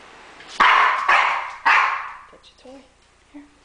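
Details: Pet dog, a female, barking in protest because she does not want her owner to take a shower; three loud, harsh barks about half a second apart, then fading yelps and small squeaks.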